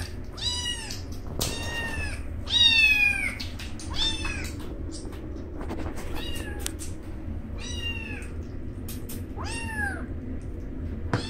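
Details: Two newborn rescued alley kittens, Roy and Joy, eating almost as if fighting; high, falling meows repeat in quick bursts, about seven across the stretch, over clicks and a steady low hum.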